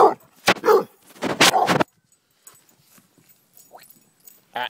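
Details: Annie the pet dog, playing fetch on May 28, 2012, gives a cluster of loud, rough barks with whining in the first two seconds, then quieter rustling and a brief voice near the end.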